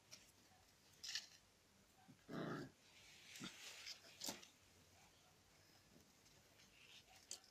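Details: Dog wanting to eat chicken gives a single short, harsh bark-like burst midway, surrounded by scattered clicks, knocks and faint background noise indoors.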